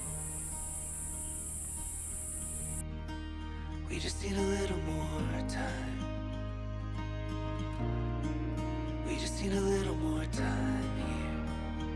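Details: Soft, slow instrumental music with sustained tones and a deep bass plays throughout, and no animal sound is heard.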